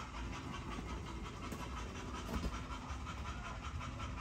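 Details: Great Dane panting in quick repeated breaths over a low rumbling background noise, with a couple of brief clicks.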